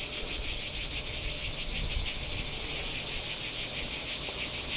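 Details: Singing cicadas at Kardamyli in 2013: a loud, continuous high buzzing shrill with a fast regular pulsing, about three beats per second, steady throughout.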